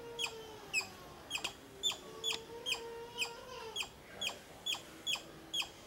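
A squirrel gives a steady series of sharp, high chucks, about two each second.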